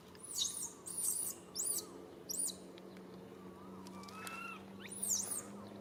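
A baby monkey gives shrill, high squeals in quick bursts, calling to its mother for help.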